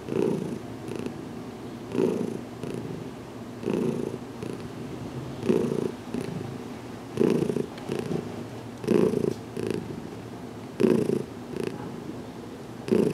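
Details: Content purring by Heidi, a domestic cat receiving a careful head massage indoors in a closet; a deep, even rumble with regular louder bursts about every one and a half to two seconds.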